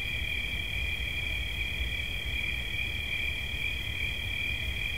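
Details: Cricket singing as a relaxation sound: a bright, sustained, shimmering trill held at one pitch without breaks, steady and fairly loud, with soft rumbling background.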